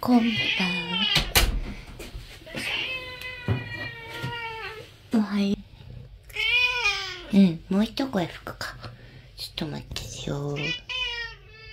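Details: Stray cat blind in one eye, living wild but moving freely between a house entry porch and outdoors, a talkative cat vocalising at length: a series of varied drawn-out meows, some rising then falling, some short chirps, with a person speaking in between.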